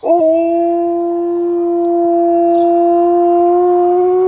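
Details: Alaskan Malamute howling at a passing ambulance at 6 AM, early morning: one long, steady, tonal howl held at an even pitch for over four seconds, rising slightly toward the end, with faint overtones above.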